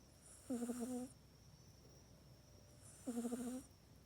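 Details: Mac, a house cat, asleep and snoring in its own cat bed at night. Two evenly spaced snores, each a half-second buzzy, slightly wavering drone with a breathy rasp, separated by roughly two and a half seconds of near silence.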